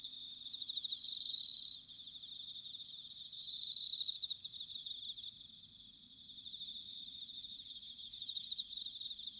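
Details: Autumn bell cricket song from Sanuki, Chiba Prefecture, Japan: two loud, clear ringing notes, each about half a second long and spaced about two and a half seconds apart, over a softer continuous high-pitched trilling chorus.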